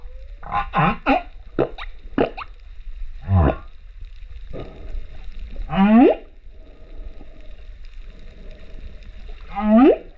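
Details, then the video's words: Male humpback whale singing off Rurutu on 28 September 2024, recorded underwater with a GoPro: a sequence of sweeping moans and upswept whoops rising from low to mid pitch, with short clicky pulses and a long pause between phrases. "Humpback Whale singer"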